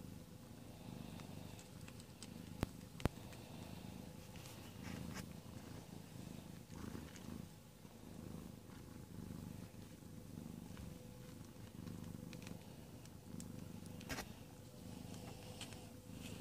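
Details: During the evening labour of 22 February 2017, the domestic cat Amber keeps up a deep, continuous purr as she delivers four kittens. The low throbbing rhythm is broken by a few sharp clicks and soft rustles nearby.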